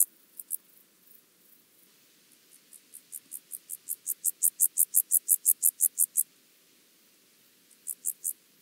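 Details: Penumbra grasshopper, Chorthippus vagans, at Mörnsheim, Germany, 14 July 2023, heard through a Pettersson D 100 ultrasound detector; a series of high ticking pulses swells gradually from faint to loud, stops abruptly, and a few pulses return near the end.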